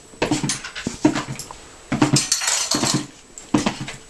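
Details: Indoors at dinner time, Holly the Miniature Pinscher bounces and yips: half a dozen quick, clipped whines mixed with the clink of dishes and cutlery.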